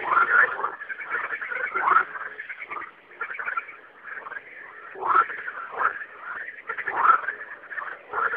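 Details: Frogs singing at night: a dense chorus of raspy, rattling croaks, with louder bursts at irregular intervals of one to three seconds over a steady trilling background.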